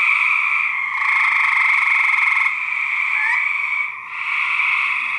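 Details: Male gray treefrogs fighting, in a research recording: a rapid pulsed buzzy trill swells for about two seconds, then a rising chirp follows, then a brief hush near four seconds before trilling resumes.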